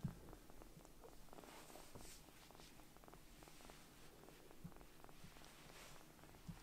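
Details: Sock-footed rescue kitten Sokkun nestles affectionately on a caregiver's lap in a small room, giving a continuous quiet throaty purr, an even pulsing rumble under light rustles and occasional soft taps.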